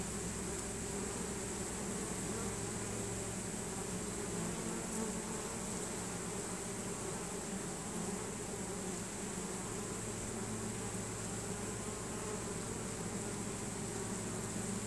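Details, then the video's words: Many honey bees of a swarm marching into their new hive after scenting it, a thick even buzzing hum holding steady throughout with broad noisy texture. "Honey bee swarm march"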